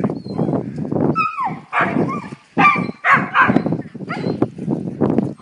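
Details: Keeshonds from one family playing together: a run of husky barks, growls and high wavering whines, irregular bursts with short pauses, while a person talks softly in the background.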